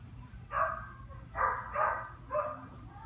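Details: Dog barking: four short, rough barks within about three seconds, the middle two close together, over a low steady background hum.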